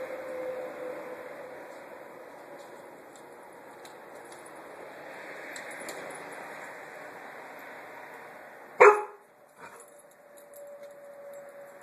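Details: Puppy investigating and harassing a small watermelon lets out one sharp, loud bark, then a softer short yelp a moment later, over a steady background hum.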